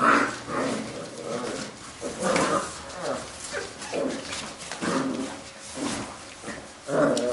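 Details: Labrador retriever puppies from a B litter playing together: rough, low growls and grumbling yips come in bursts roughly once a second, with scuffling in the background.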